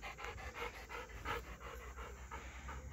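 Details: Nine-year-old golden retriever Ljubica, a dog that loves swimming in the lake, pants after fetching a wooden stick: quick, breathy, rhythmic puffs at roughly three per second, steady throughout, over a low background hum.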